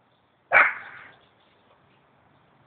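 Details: Running dogs, a Norwich Terrier and a mongrel; one abrupt loud bark that fades over half a second, followed by quiet and the start of another bark.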